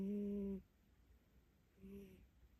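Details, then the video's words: Sleeping cat with its face pressed against its owner's leg, snoring: a low, humming, tonal snore lasting about half a second, then a softer, shorter one after a pause, in a quiet room. "집사 다리에 얼굴 박고 코고는 고양이"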